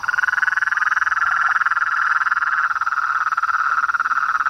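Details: Dense chorus of frogs, toads and treefrogs: rhythmic, rapidly repeated pulses forming a steady buzzy trill at one mid pitch, unbroken throughout, with a faint high hiss.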